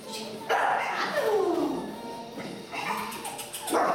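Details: A 2-month-old female Staffordshire bull terrier puppy, during barking training, gives high, drawn-out barks that slide downward in pitch.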